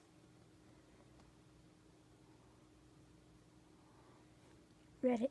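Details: Jack, a chunky Miniature Schnauzer, barks once in reply when asked to say hi to people on Reddit, a greeting his owner calls saying hello. Quiet indoor room tone with a steady hum gives way to one loud, abrupt bark at the very end.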